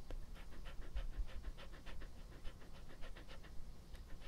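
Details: Epo, a pet dog, in its first close-up ASMR recording: soft, rapid panting breaths repeating steadily, several per second, quiet and breathy against a low background hum.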